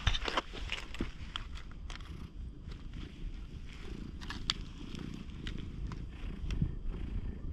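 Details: Stray cat with a slightly stern look, batting its paws at the camera's furry windscreen. A low, steady rumbling purr runs underneath, broken by sharp scratchy clicks and thumps as the paws strike the fluffy cover.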